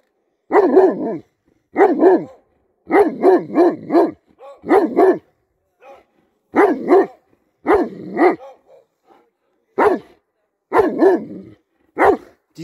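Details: German Shepherd barking during a bike ride: loud, harmonic barks in bursts of one to four, often in quick doublets or triplets, with short pauses between bursts across the stretch; no other clear sounds.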